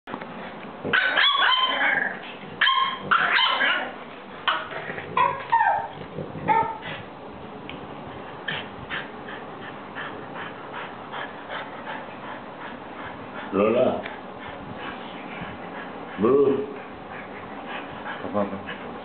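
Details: A French Bulldog welcoming two new dog friends gives a quick run of high, excited yips and barks, then quieter whines, with two louder, drawn-out barks later amid soft rustling.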